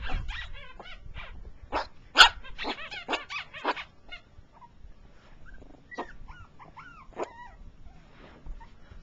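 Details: Four-week-old Jack Russell Terrier puppies from Ellie and Baxter's litter. A cluster of sharp yips and squeaky barks in the first four seconds gives way to scattered thin, wavering whimpers and squeals, over low rumbling handling noise.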